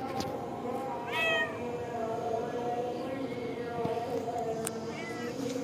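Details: Village cat, a mother with her kittens in the front yard of a mosque: a short, clear, falling meow near the start and a fainter high mew later, over a steady hum of background noise.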